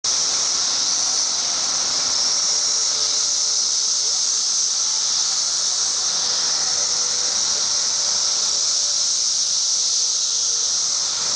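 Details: Periodical cicadas in Chicago during their 17-year emergence, at densities up to 1.5 million an acre. A dense, unbroken, shrill droning chorus holds steady throughout, with a faint lower hum beneath it.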